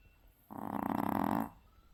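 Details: Worn-out Maltese snoring after a day at the beach: a single rough, fluttering inhale of about one second, rapid buzzing pulses throughout, against quiet indoor background.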